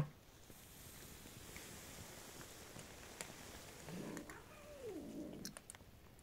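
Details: Stray cats living on the street, one giving a single drawn-out, wavering meow late on, over a steady low rumble and occasional clicks.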